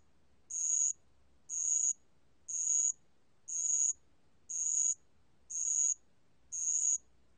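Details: Steady high-pitched chirping of a spotted bell cricket, recorded in 2020 by the National Institute of Biological Resources: seven regular ringing pulses, one each second, against a quiet background.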